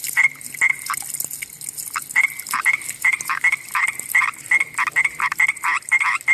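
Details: Common tree frog calling at night: a fast series of short, rattling croaks, each note a sharp clicking burst, repeated about two to three times per second with brief pauses, over a constant high hiss of background noise.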